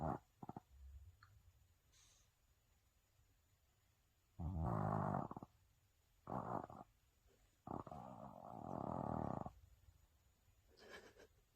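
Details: Sleeping Maltese dog snoring loudly enough to pass for a man snoring next door: rough, rasping snore bursts of uneven length separated by quiet gaps, the last one long and swelling, with faint breathing between.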